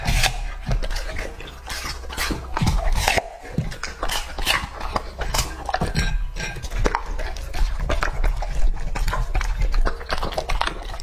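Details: Lucky, a two-and-a-half-year-old male English-type Labrador Retriever, eating raw meat indoors: crisp irregular crunches and wet smacks with clinks of the bowl, the noise dense and continuous.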